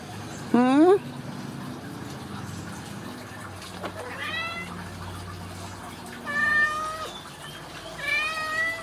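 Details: Ragdoll kitten at a home cattery in central Kansas, kept without cages, meowing four times over nine seconds. The first meow is a sharp rising squeak and the later ones are longer and wavering, with soft human talk and room hiss between them.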